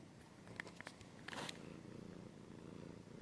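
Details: Cat purring in an ASMR-style recording, a brief burst of scratching and clicking early on, then a low pulsing rumble continuing to the end.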